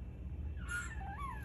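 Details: A fennec fox gives a brief, high whining call that wavers down, then rises and falls again, while a person reassures him that another person nearby on the couch is moving away.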